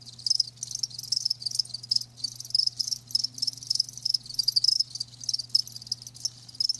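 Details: High chirps from live crickets come in distinct bursts roughly every half second, each a quick cluster of pulses, with a low steady hum in the background.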